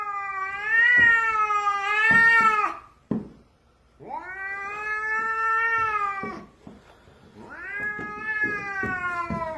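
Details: House cat refusing to let its owner pass down the stairs, giving three long wailing meows, each about two to three seconds, rising then slowly falling, separated by brief pauses.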